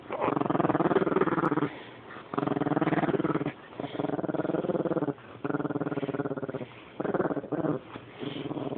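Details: Female Rat Terrier growling in bouts while wanting her toy, each rough, pulsing growl lasting about a second or more and separated by brief gaps, sustained throughout.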